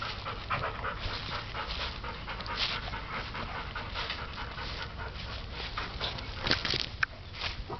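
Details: A seven-week-old puppy playing in warm weather pants steadily: quick breathy huffs follow one another without pause, with a couple of sharper snorts near the end.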